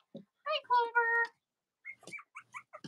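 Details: Cavalier King Charles Spaniel puppies, litters of the mothers Robin and Myra, indoors on a chilly Monday morning near Halloween: a steady, harmonic whine of about a second, then a run of short, high, rising squeaks.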